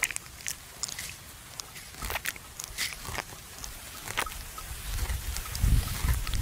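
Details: Buffalo lying at rest at noon in a farmer's field, chewing the cud: irregular crunchy clicks and soft bites over a low rumble that grows louder and heavier toward the end.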